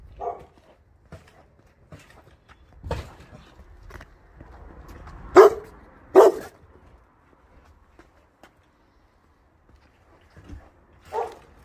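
A Boerboel gives a few deep, heavy barks spaced irregularly, with quieter grunts between.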